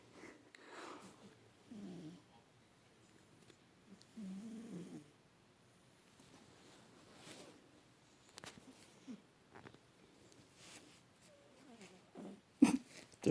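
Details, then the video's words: Adopted house cat Bubba asleep in a lap for the first time, twitching and seemingly dreaming; soft, low, uneven snoring breaths come in short rasping bursts separated by quiet pauses, with a few sharp clicks near the end. "Bubba kitty snoring"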